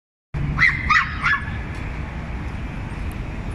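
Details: Several small dogs yap at a bigger dog, taking turns; three quick high-pitched yaps in a row near the start, then a steady low rumble of background noise.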